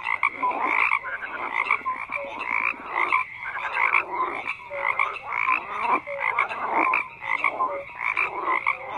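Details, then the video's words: Frogs croaking in a dense chorus, overlapping rasping croaks and pulsed calls packed between mid and high pitch, with short whistled notes scattered through and no other clear sounds. "FROGS CROAKING"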